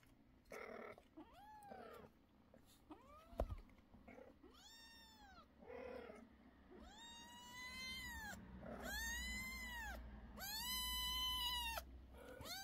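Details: Repeated kitten meows growing louder and longer: soft arched squeaks early, then a run of bold, rising-and-falling cries roughly every second or two, with a bump and faint indoor noise underneath.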